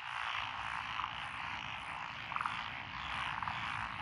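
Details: Mixed frog chorus in lotus paddy fields of Echizen, Fukui Prefecture, Japan, 12 June 2021, with tree frogs, pond frogs and wrinkled frogs calling. Steady droning croaks throughout, a few sharper clicking notes standing out near the middle.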